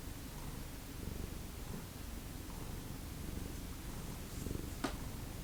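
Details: Low purring from a domestic cat in a family of former ferals, a soft continuous rumble with one sharp click near the end.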